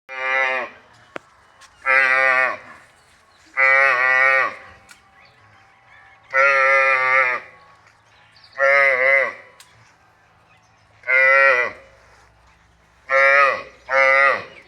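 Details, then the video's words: Water buffalo calf on a dairy farm, giving a string of about eight loud, nasal, harmonic bawls. Each lasts about a second and they come every one to two seconds, with short quiet gaps between. "Buffalo calf voice"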